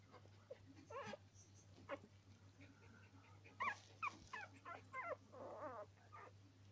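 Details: Norwich Terrier puppies giving scattered squeaky whimpers and short yelps, some rising and falling, over a constant low hum.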